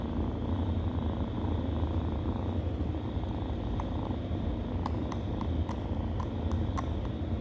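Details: Steady low purring from nursing stray kittens, continuous and rumbling, with scattered small clicks and soft suckling ticks in the second half.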